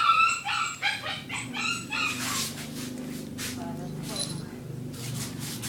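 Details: A black Shih Tzu gives a quick burst of high, sharp yapping barks, followed by a person talking.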